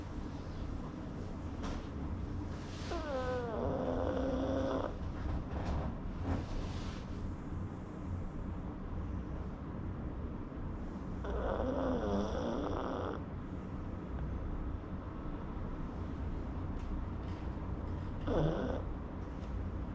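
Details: Sleeping pug snoring: a continuous low rumbling drone, broken twice by longer wheezy stretches carrying wavering whistled tones, plus a brief snort near the end.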